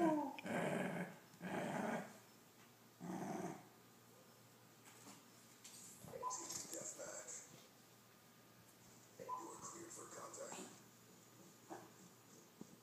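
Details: Dachshund that won't share his treats gives three rough growling bursts at the start, then softer scattered rumbles and faint rustling, with a human voice at times.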